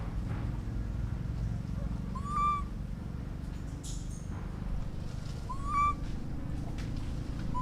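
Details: Orphaned baby monkey calling to its mother: two short, clear whistled cries that rise and then level off, about three seconds apart, over a steady low background rumble.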